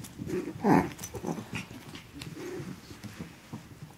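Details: Playing Chihuahua puppies Asher and Indigo, aged 12 weeks, recorded December 3rd 2013: a throaty growl with a short yelp near the start, followed by softer grumbling.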